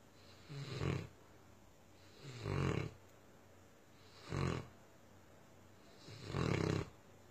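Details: Tosa Inu named Myah snoring in four raspy bursts a little under two seconds apart, the low rumbling breaths separated by short silences.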